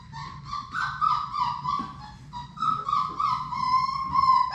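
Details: Six Labrador Retriever puppies from Sadie's litter play in their indoor puppy room. Drawn-out, tonal whining holds near one pitch with slight wavering, broken into long rising and falling whines, over soft low rumbling and shuffling.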